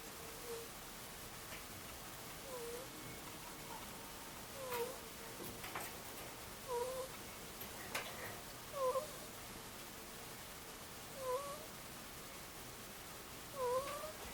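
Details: A two-year-old Angora ferret snores softly while asleep indoors: faint, short squeaky 'coo' notes with a quick downward bend, spaced irregularly every two to three seconds over a steady low hum.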